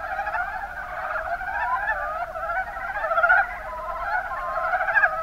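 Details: Chuckling pulsed croaks from Mountain brown frogs (Rana ornativentris), Kuma Basin, Kumamoto Prefecture, Japan, overlap into an unbroken chorus, with louder bursts near the middle and end.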